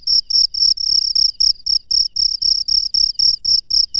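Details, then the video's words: Wild cricket at night producing loud, piercing chirps in quick succession, close to four per second, each pulse slightly stretched and buzzy, with a soft low-frequency rumble in the background. "SUARA JANGKRIK LANGSUNG DARI ALAM LIAR DI MALAM HARI"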